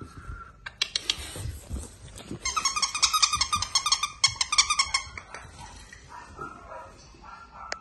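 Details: Dogue de Bordeaux puppies give a quick run of high, harmonic squeals and yelps, several per second, mostly between two and five seconds. Scuffling and handling noises come before and after the run.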